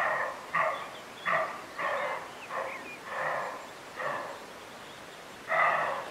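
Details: A roe deer buck gives a string of short, harsh, hoarse barks at uneven intervals, Bieszczady mountains, June 2017.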